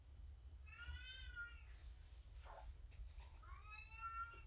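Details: Morticia, a female domestic cat rescued via a Purrfect Pals volunteer, during an evening cuddle session indoors: two drawn-out, tonal meows about a second long, the first level and the second rising then falling, with a soft rustle between them and a low room hum.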